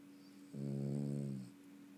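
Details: A dog named Honey snoring indoors: one smooth, droning inhaled snore lasting about a second, low and steady with a rounded rise and fall, over a faint constant room hum.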